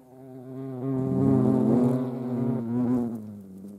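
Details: European hornets at a feeding place with ants in Dohr, Eifel, on 28 July 2022. A deep, droning buzz swells and fades over about four seconds, and its pitch sinks slightly toward the end.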